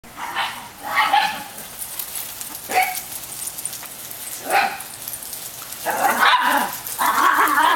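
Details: Ten-month-old female Italian Greyhound playing rough with a pack of other dogs: several sharp barks and yips at irregular intervals, with a woman talking to the dogs and offering a cookie.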